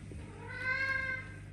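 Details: Mother cat with her kittens in a house shared with many animals gives a single short, clear meow over a steady low hum.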